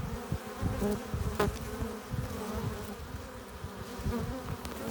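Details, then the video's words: A close, steady buzz of honey bees crowding a hive entrance as foragers arrive with nectar and pollen, one bee passing sharply nearby. "15 minutes of bee hive entrance! Relaxing sounds! Buzzing sound efects"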